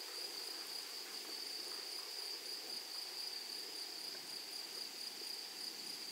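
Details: Meadow grasshoppers among flowers produce an even, piercing high-pitched hum that never pauses, an airy ticking texture riding faintly above.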